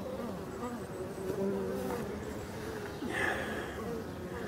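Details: European dark bees at hives on a very hot, sunny 5 February 2022, with drones present, bees moving about the entrance; continuous low droning hum with a few brief louder buzzes and a man speaking.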